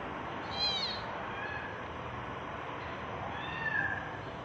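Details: Tabby cat giving birth to kittens: two thin, high mews, one rising and falling near the start and a flatter, drawn-out one near the end, over a steady low hiss in a quiet room.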